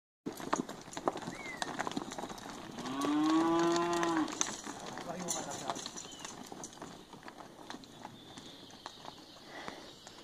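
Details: Heifers in a sale lot of 19, twelve aged one and a half years and seven aged two and a half, with one drawn-out, arching moo mid-clip over steady background noise and faint clatter.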